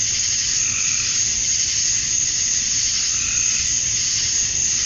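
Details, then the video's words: Summer dusk in Georgia, USA, with male cicadas calling to attract females: a dense, unbroken high-pitched buzz that swells faintly, and a weaker mid-pitched pulse beneath it. "Cicadas at Dusk, Summer Night"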